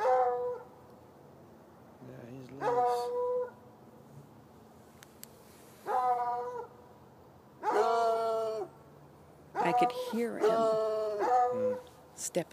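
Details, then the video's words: At night, two hounds, one white and one dark, chained beside a red outbuilding near an irrigation ditch, give spaced, howling barks from about 10 yards off, some single and some in quick clusters, over a low background hum. "Barking dogs"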